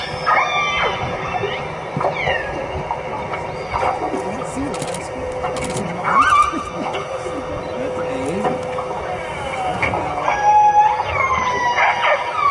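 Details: Northern Resident orcas (I16 and A30 pods) off northeast Vancouver Island give squealing, pulsed calls rising and falling in pitch, some like a cat's meow or a braying donkey, while people chat and applaud over them.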